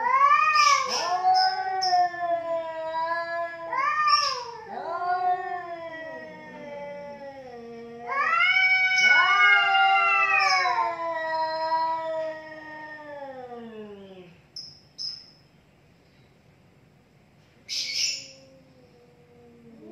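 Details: Two cats fighting, one loser backing down, give loud rising and falling wails in repeated bursts, the strongest near the middle, fading to quiet with a few high chirps.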